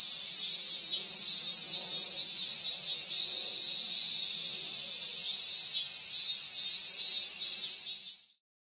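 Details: Loud continuous cicada drone near the end of summer, 19 August 2020, a shrill even buzz with a faint pulsing texture, sustained for about eight seconds before cutting off abruptly.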